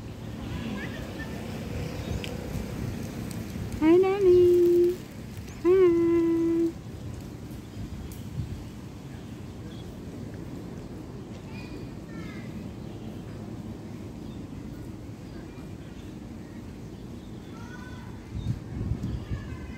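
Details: A cat gives two drawn-out, steady-pitched meows, each about a second long and about two seconds apart, over low rumbling outdoor background noise, with faint high chirps later.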